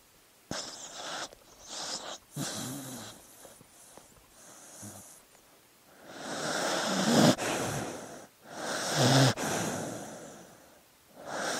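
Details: Dog snoring in its sleep, a series of rough rasping breaths about every two seconds, some with a low fluttering rattle, the breaths growing louder and longer toward the end.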